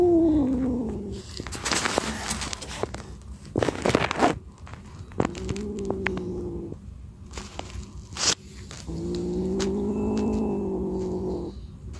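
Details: Scared, fierce stray kitten reacting at first contact: a falling, drawn-out yowl, then two longer low, wavering moans with harmonic overtones, separated by sharp knocks and clattering handling noises.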